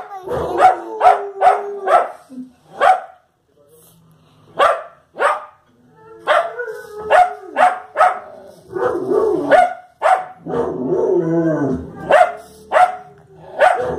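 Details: Fox Terrier barking at the television in rapid volleys of sharp, high barks, several per second at the start, with brief pauses, some mixed whining and faint voices from the television between bursts.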